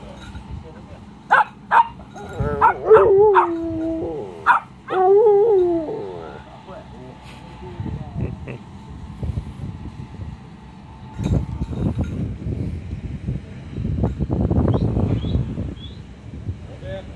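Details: Miniature Pinscher playing with a friend on the grass: several wavering, whining yowls in the first six seconds, then a long stretch of rustling and scuffling noise with a brief spoken word.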